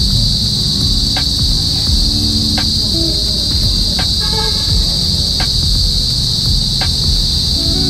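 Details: Crickets in a quiet rural area of Balanga, Bataan, away from city noise, on a cool, overcast, drizzly day among trees, mountains and rice fields: a continuous shrill high trill throughout, over a low rumble and a few faint clicks.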